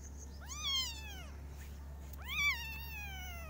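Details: Kittens meowing loudly, two long arched meows each rising then falling with rich harmonics, about a second apart by a pause; steady low hum underneath.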